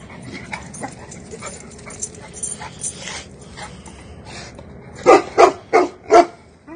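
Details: Cane Corso dog barking: after several seconds of low background rumble and faint scattered sounds, four loud, deep barks come in quick succession, each about a third of a second apart, ending the recording.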